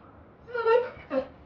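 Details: Kane, an American Pit Bull Terrier, excited while doing tricks: two short tonal whines, the first drawn out and slightly wavering, the second brief and clipped, with a quiet room behind them.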